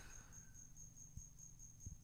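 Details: Hidden cricket calling indoors in a room in Asunción, Paraguay; a faint, continuous high-pitched trill with slight rhythmic pulsing, under low room rumble and a couple of soft thumps.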